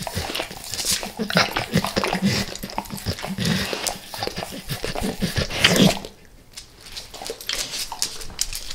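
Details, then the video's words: Eating natural peanut butter with peanut butter oil, Max the dog laps steadily with rapid moist clicks and smacks for six seconds, then the licking turns much quieter and sparser. "Max LIcks Peanut Butter Squares | ASMR DOG LICKING"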